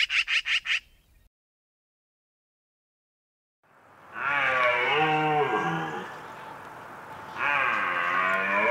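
A red deer bellows in a long, hoarse, wavering roar lasting several seconds, then starts a second roar. A few sharp taps and a pause come first.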